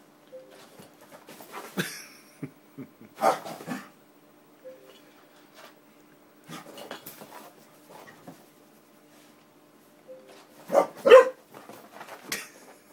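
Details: Excited pet Springer Spaniel indoors in a small room, reacting to an Xbox disc tray opening and closing; short whimpering and yelping bursts come in clusters, mixed with its owner's voice urging it to go see.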